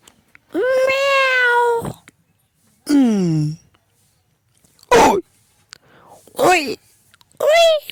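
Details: Domestic cat meowing repeatedly indoors: a long flat drawn-out meow, then a falling one, followed by three shorter clipped meows at irregular gaps, with near silence between calls.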